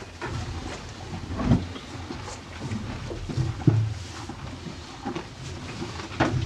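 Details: Two cows chewing hay on a farm: muffled rhythmic crunches and rustles, a few stronger bites standing out, over a low steady background.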